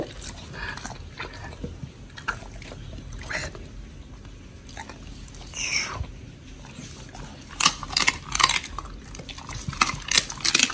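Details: Pit bull eating raw giant white snapper, one of Oli and Nommy, recorded October 21, 2023. Quieter gnawing at first, then sharp bright crunches of bone or flesh in quick clusters during the last few seconds.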